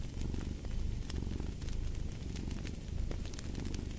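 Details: Low rumbling purr of a cat, steady and pulsing with its breathing, accompanied by frequent crackles and pops from a burning fireplace.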